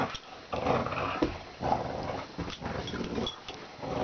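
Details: Dory, a pet dog, growls steadily during a tug-of-war game inside a small room, a rough continuous rumble with a few sharper accents and handling noise.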